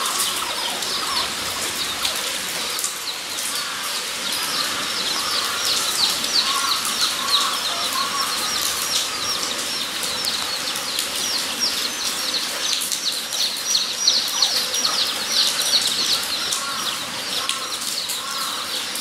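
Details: Guinea pigs at Nogeyama Zoo on 23 September 2012: a steady, dense chorus of short, high squeaks repeated several times a second, with softer lower warbling notes underneath and a constant background hiss.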